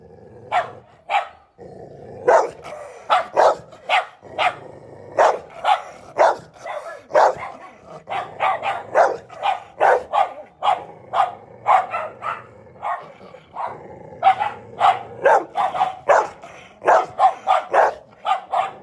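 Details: Labrador Retrievers barking almost nonstop: punchy, clipped barks repeated roughly every half second, several dogs overlapping in a noisy chorus.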